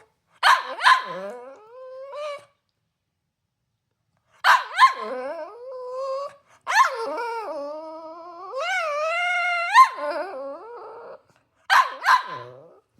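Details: Cavalier King Charles Spaniel, a small pet dog angry that breakfast was too small, giving bursts of sharp barks followed by drawn-out, wavering, rising whines and moaning protests, with silent gaps of a couple of seconds between outbursts.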